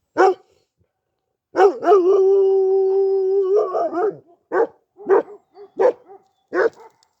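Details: Kangal dog among six dogs being chased off by two mischievous birds: a sharp bark, then a long, steady, drawn-out howl lasting about two seconds, followed by a string of separate gruff barks roughly every half second.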